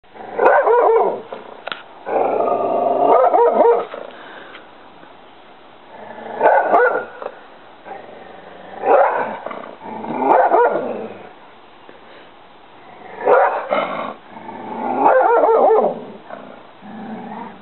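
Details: An English Springer Spaniel barks at a duck in loud, hoarse bursts with pauses between them.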